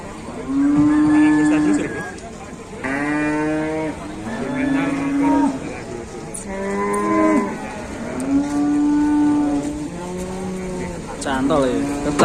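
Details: Large cattle are brought in for dealers in Indonesia. Loud, harmonic lowing repeats about every one and a half seconds, each moo steady then dropping at the end. A few knocks and faint voices sound behind it.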